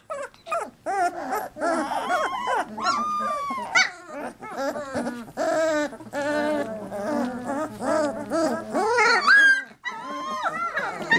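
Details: A litter of 3-week-old Labrador Retriever puppies keeps up a busy chorus of short squeals, yelps and long wavering whines, bursts separated by brief pauses, with soft human talk mixed in.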